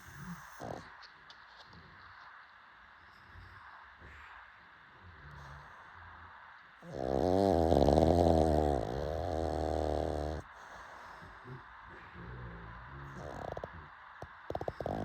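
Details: Late-night snoring from a pug: mostly quiet breathing, then one loud, rough, buzzing snore of about three seconds in the middle, with faint soft snuffles before and after.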